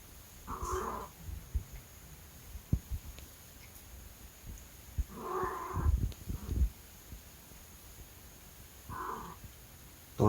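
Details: A pet cat meows three times in short, nasal cries spaced about four seconds apart, with soft rustling and a faint low hum between them.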